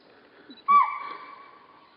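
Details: A spotted deer (chital) in Corbett gives a single sharp, shrill alarm bark that rings briefly and fades.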